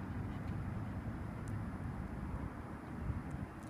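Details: A low outdoor rumble like a distant engine or wind runs throughout, with a few faint ticks and no animal sound.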